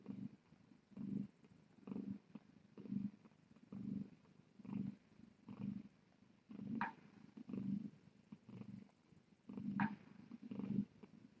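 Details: Cat purring on a Tiny Kittens Society rescue live-stream cam during a late-night visit: low, rumbling purr swelling and fading in steady breath cycles about once a second, with a faint higher squeak near the seventh and tenth seconds.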